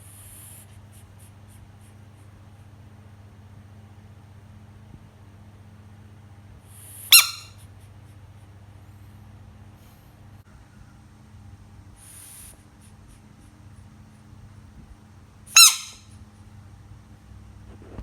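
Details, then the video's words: A frog screams twice, each cry a sudden sharp harmonic squeal lasting a fraction of a second, spaced about eight seconds apart, with faint hissing bursts between them and a constant low background hum. "Screaming frog frog sounds"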